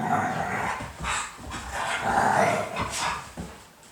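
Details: A Siberian Husky reacting in surprise to sneezing, a runny nose and a blocked nose gives short, noisy snorting grumbles in several bursts, with a brief whiny tone near the middle, and a person speaks just before.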